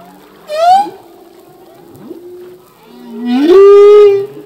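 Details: Humpback whale, a male singing, possibly to attract a mate or defend territory: a rising squeal at half a second, a faint middle stretch with soft grunts, then a strong upswept moan held steady toward the end.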